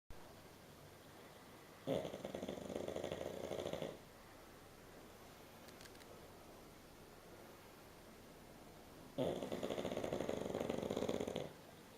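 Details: Ville the pug, asleep and snoring indoors in 2011: two long rasping snores, each lasting about two seconds, separated by roughly five seconds of quiet breathing.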